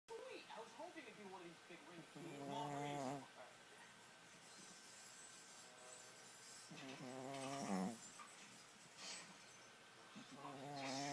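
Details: Pet dog snoring loudly indoors: drawn-out, buzzy, harmonic breaths about every four to five seconds, with quieter breathing between them.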